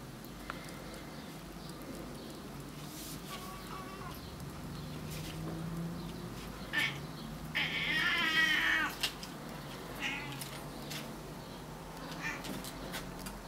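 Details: Male Burmese cat swearing at birds: faint chattering and small cries build up to one long, loud, quavering yowl, then softer scattered calls trail off.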